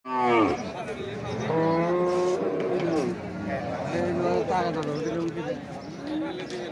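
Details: Cattle at a livestock market ahead of Eid in Bangladesh: several long, low harmonic moos, some drawn out and falling at the end, over steady crowd chatter and traffic noise.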